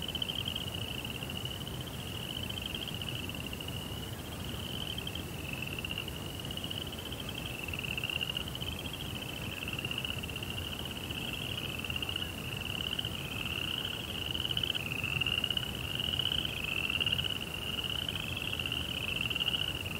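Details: Crickets singing at night, set in a Japanese Zen garden by a koi pond: a sustained shrill trill wavers gently in pitch every second or two, with a fainter lower tone beneath and steady background noise.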